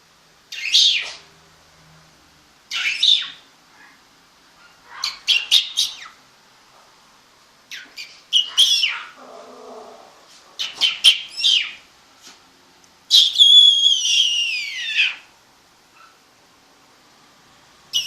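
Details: High squealing whimpers from home-raised apple-head Chihuahua puppies in Monterrey, Mexico: clusters of quick sharp squeaks, a low muffled grumble, then a long quavering falling whine near the end.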